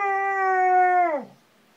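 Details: Ranger the dog howls and cries along when his toy turtle squeaks; a sustained, steady, harmonic-rich howl lasting about a second, then dropping sharply in pitch and fading out.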